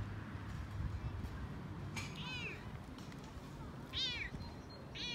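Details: Male Toyger cat talking excitedly while out on a walk, also purring: three short, bent, descending meows spaced a second or two apart over a steady low rumbling of movement and purr.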